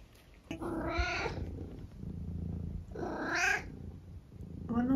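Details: Senior tabby cat from England giving two drawn-out meows about two seconds apart, each bending up then down, with its owner's speech and a low household hum in between.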